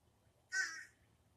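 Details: A cat, attempting to mimic birds as it does when prowling after birds in bushes, gives one harsh, raspy, bird-like chirp under half a second long, with quiet room hum around it.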